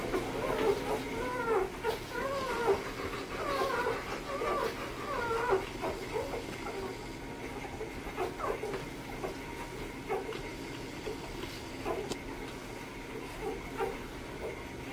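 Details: Two-day-old AKC chocolate Labrador Retriever puppies from a litter of fourteen, squeaking and mewling in short high wavering cries, many overlapping from several pups, irregular and busy, with a steady low background hum.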